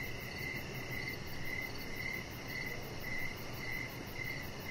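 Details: Evening chorus of crickets near a backyard deck: bright pulsed chirps repeating roughly twice a second in short even bursts, over a fainter shimmering high trill and a steady low background rumble.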